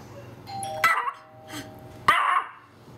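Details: Pomeranian, a female pet dog, barking at the doorbell, recorded on a Panasonic SDR-S50 camera: two sharp, bright barks about a second apart with a faint chime and background hum.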